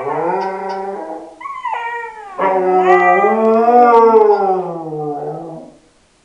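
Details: A Siberian Husky howls in long, wavering, rich-toned notes: a short opening phrase that breaks upward, then a sustained howl that rises slightly, holds and fades over several seconds. No other sounds are heard.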